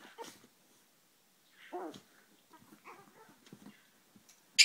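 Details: Two Chihuahuas fight, trading brief nasal growls, snarls and sharp high yips in uneven bursts. A louder squeal closes the exchange.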